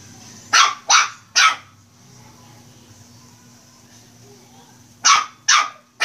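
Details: Playing Shih Tzu puppy gives three bright yapping barks in quick succession, falls silent for several seconds over a low steady hum, then barks three more times.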